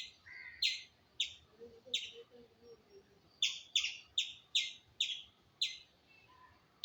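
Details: Squirrel chirps: crisp, high single notes about every half second, a pause of about a second, then a faster run of the same notes; soft low calls faintly behind.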